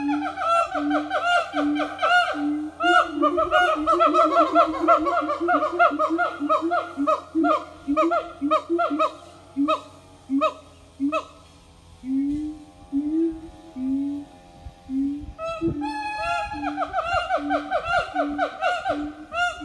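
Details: Siamang family morning song at an eco-tourism organic farm: dense barking and hooting at first, then slower separate booming notes spaced about a second apart before rapid calls return.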